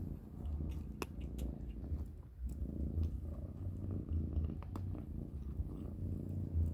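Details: Kittens Panda, Grayie and Goldie eating cat kibble for dinner indoors: a steady low rumbling purr runs throughout, dotted with sharp crunching clicks of chewing and brief rustles.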